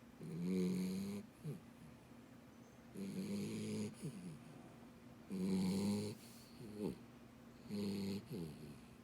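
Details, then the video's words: Dachshund Beagle cross puppy snoring loudly indoors: four long, deep, rasping snores, each lasting about a second and returning roughly every two and a half seconds, with a short snort after each one and quiet breathing between. "Dachshund Beagle Puppy Snoring Loudly"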